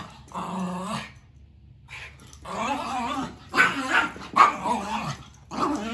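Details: Two male dogs, a Maltese and a Shoodle, play fighting indoors: throaty growls and whiny yips in short bursts with pauses between.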